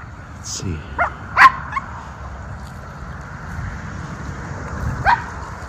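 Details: Miniature Schnauzer brothers off leash outdoors in spring, April, after the snow has gone, running and sniffing: a few short, sharp barks come in a quick cluster near the start, with one more bark later over steady low outdoor rumble.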